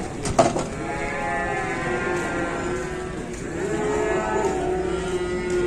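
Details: Cattle at an Indonesian cattle farm, with a long drawn-out moo carrying stacked harmonic bands that sweep gently over several seconds, preceded by a brief clatter and backed by steady barn noise.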